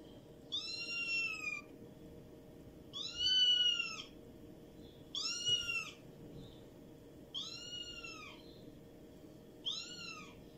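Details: A domestic cat (Felis catus) meows five times, each a drawn-out, rising-then-falling wail about two seconds apart.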